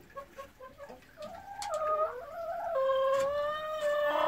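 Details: Golden Retriever on a morning walk and play in a field, with ripe persimmons falling nearby; a drawn-out tonal whine with stacked harmonics, wavering and then holding steady and rising in strength toward the end.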